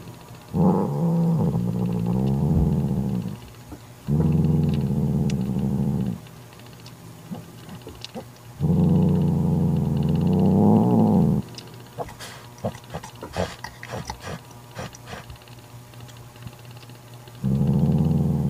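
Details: Guarding her newborn kitten, an angry mother domestic cat drives off her jealous sister with four long, harsh, low growls of two to three seconds each, broken by gaps filled with sharp snorts and clicking noises.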